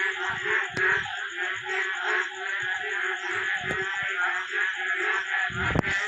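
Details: A dense night chorus of many frogs of various kinds and sizes calling near a small pond after daytime rain: deep pulsed croaks repeat beneath a continuous higher trill. A thin high insect whine runs throughout, and a man's voice briefly cuts in.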